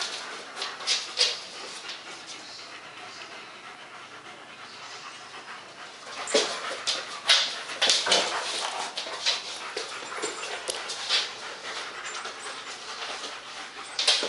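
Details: German Shepherds Max and Ace at play on 14 September 2015: soft breathing at first, then a burst of heavy, uneven panting and scuffling with sharp snorts after the midpoint.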